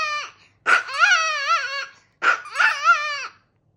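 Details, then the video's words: Chihuahua howling in two long phrases, each opening with a harsh bark-like onset and then a wavering, musical howl that rises and falls, separated by a short silence. "The BEST howling songs"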